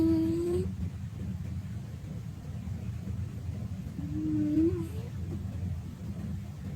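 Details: Sleeping cat snoring: two short whistling nasal tones on the in-breath, each wavering then sliding upward, about four seconds apart, with a low rumbling breath and hum in between.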